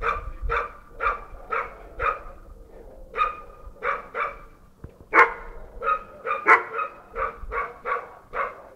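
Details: A Bull Terrier barks all day, here giving a long series of short, sharp, mid-pitched barks, several per second in places, in runs broken by short pauses.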